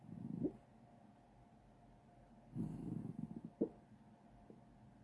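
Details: Sleeping dog dreaming and barking in its sleep: muffled, low woofs, a brief one near the start, then a stuttering cluster of soft huffs and a sharper short yip, with quiet pauses between.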